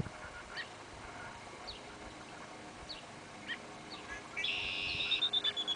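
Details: Five young red fox kits playing at Lake Erie give thin, high squeaks, ending in a louder burst of shrill, rapidly pulsing squeals.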